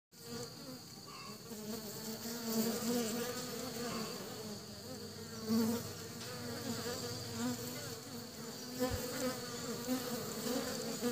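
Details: Western honey bees carrying pollen back to their hive fill the air with a steady, droning hum of many overlapping wingbeats.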